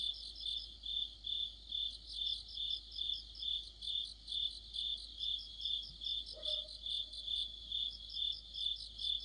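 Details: Crickets singing together in mid-autumn beneath a streetlamp, a dense high trill pulsing in even swells about twice per second, overlaid by a fainter chirping caller and one short sliding sound partway through.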